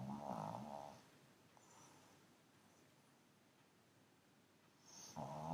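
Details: Pug asleep on a sofa snoring indoors: a short rumbling snore at the start, a quiet pause, then the next snore beginning at the end; soft room hiss between.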